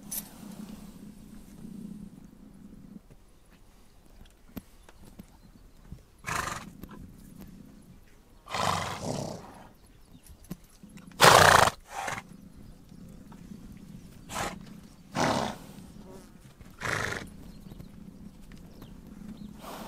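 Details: Horses on the Mongolian steppe: loud, noisy bursts recur every few seconds, the strongest near the middle with a brief tonal edge, over a low steady background hum.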